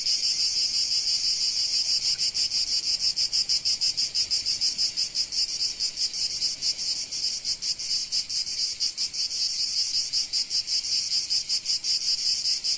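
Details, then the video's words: Cicadas in sunny Provence keep up a high, sizzling drone, its pulsing rhythm less even here, swelling and blurring between clearer beats, with no other animals or noises. "Sounds of Cicadas in Sunny Provence"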